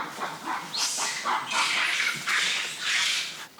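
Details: Monkeys defending their territory near a well scream at people who entered it, urging them to leave; rough, hissing shrieks rise and fall in rapid overlapping bursts, several callers at once.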